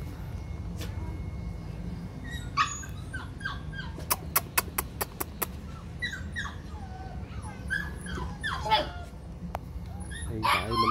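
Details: Female brindle Phu Quoc Ridgeback puppy at a kennel in Saigon, Vietnam, being leash trained; short high whimpering yelps and squeals scattered through, with a row of sharp clicks, handling noise and a man speaking.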